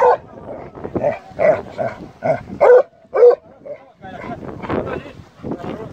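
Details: A Plott Hound on a wild boar hunt barks in rapid, uneven bursts, about two barks a second; finding: Plott Hound.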